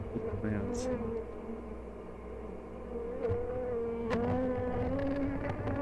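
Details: Honey bees at an open hive on "The Mountain", 22/6/29, with queen and brood of all stages seen; a continuous mid-pitched buzz wavering slightly in pitch over a low background rumble.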